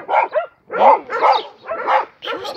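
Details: Dog giving five loud, harsh barks in quick succession, roughly half a second apart, each with a gruff, throaty quality; Dutch speech nearby.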